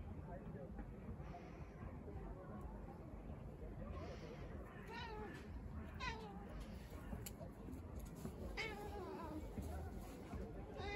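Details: Female British Shorthair cat on her balcony, giving several short arched meows with rising-then-falling pitch at intervals, over a steady low background rumble and human voices.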